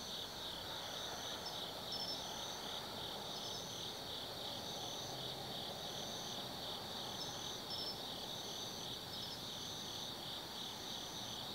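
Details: Night chorus of autumn forest insects at Tsukimi no Mori in Nanno, Kaizu, Gifu Prefecture, Japan: continuous shrill pulsing trills layered at several pitches, with intermittent higher chirp bursts and a faint low rumble underneath.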